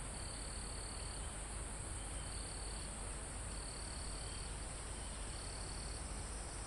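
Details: High cricket trills from a mountain forest close to the top, recorded live: four bursts of uneven length, the longest about a second, with a constant shrill insect chorus and gentle wind moving foliage behind.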